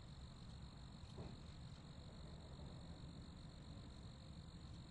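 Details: Cricket chorus as a continuous beaded high trill, quiet and even, with low background rumble and a brief faint knock near the start.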